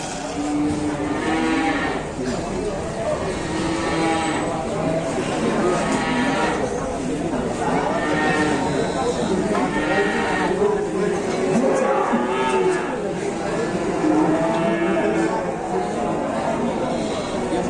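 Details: Cattle being unloaded, one a big cow with elephant-like legs: repeated deep, harmonic moos and lowing calls overlap through the stretch, with voices and background music mixed in.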